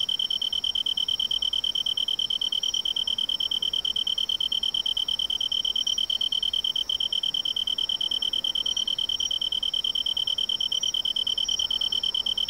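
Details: Autumn song of a tree cricket in riverside woodland: a clear, ringing high-pitched trill held continuously throughout, evenly pulsed about three times per second, with bright overtones above and a quiet background.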